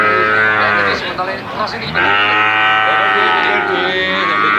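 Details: Brahman and Limousin calves bawling, two long harmonic moos separated by a short broken stretch where rougher calls and voices mix in, several calves heard overlapping.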